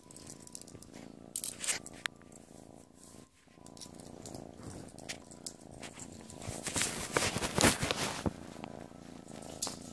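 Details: Playful kitten purring indoors, a low steady rumbling pulse running throughout, broken by loud rustling and scratching bursts from play and handling, busiest toward the end.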